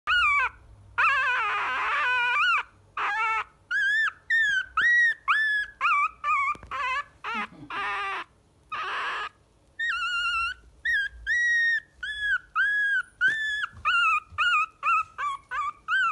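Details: Puppy, the youngest of a litter of three siblings, whimpering: a long run of high whistled whines with rising and falling pitch, each a second or less, repeated with short gaps, mixed with a few breathy squeals.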